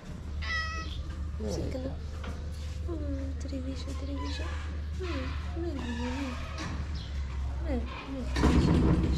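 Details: Abandoned cats in Morocco at feeding time as plates of food go down; a run of repeated wavering meows, some bending downward, carries through the clip above a constant low hum, with a burst of clatter near the end.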